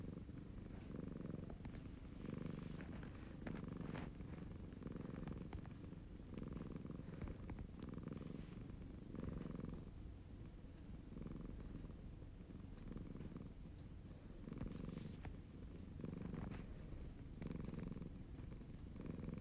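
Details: A male Siamese cat purrs steadily, a low rumbling hum that pulses with each breath.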